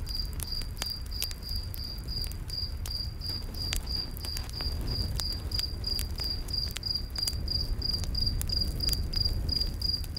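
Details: A cricket chorus in a nighttime forest: bright, rapid chirps repeating about three times a second, mixed with frequent snapping crackles from a nearby campfire and a deep low hum.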